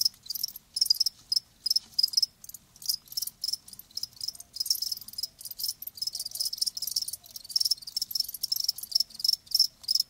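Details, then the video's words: Crickets chirping live, high buzzy trills broken into short bursts of varying length, overlapping calls forming a near-continuous shrill chorus over soft background noise. "Live Crickets 60min "Natural Sound""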